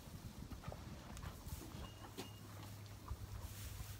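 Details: Horses eat hay in a barn, making soft crunching and rustling sounds over a low, steady hum.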